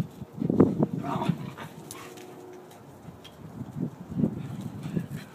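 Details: Playful growling from a group of five pet dogs (pit bull mixes, wire-haired terrier mix, red heeler, Lhasa Apso) romping together: short low rough grunts and growls in bursts, with a human voice faintly in between.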